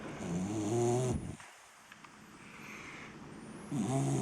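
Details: A tired 7-month-old English Cocker Spaniel snores while asleep in deep, rumbling breaths with a quiet pause between them.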